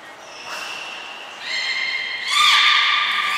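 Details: Training-session calls from captive belugas Mirai and Niko, Port of Nagoya Public Aquarium, 20 February 2021: a steady high whistle, then a stronger harmonic tone joining it, ending in a bright, slightly rising squeal.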